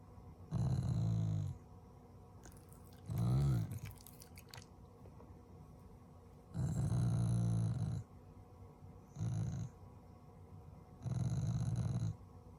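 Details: A Shiba Inu, a family pet, growling with affection rather than anger toward its owners. Deep, rumbling growls come in five bursts, each lasting half a second to a second and a half, separated by quiet gaps with faint rustling.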